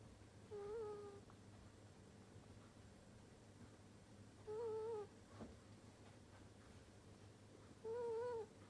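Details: A sleeping ferret snoring: three short, steady whistled tones with faint overtones, each lasting about half a second and coming roughly every three and a half seconds, with quiet room hum between them.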